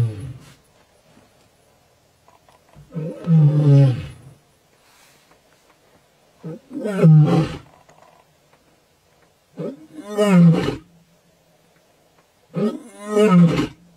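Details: A lion in Kenya's Maasai Mara gives deep, moaning roars, each lasting about a second and repeated every three seconds or so.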